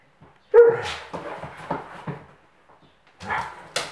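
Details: Playtime for German Pinscher mother Luna, her three puppies and Doberman uncle Lemon: one sharp bark opens, followed by low rumbling growls and huffs, then a pause before two more brief yelps.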